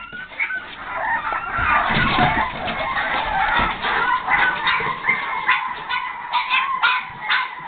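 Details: Boston Terrier pups aged 5½ weeks, one wanting out, scream and squeal in high, overlapping, shrill bursts.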